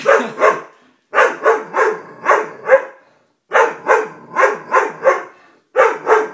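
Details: A scared Dobermann puppy confronting a stuffed toy gives quick paired and tripled barks. The runs are split by short silences of about half a second.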